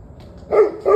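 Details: Two quick, loud, tonal barks from a dog in rapid succession, recorded at 7:06 pm on 21 November 2023.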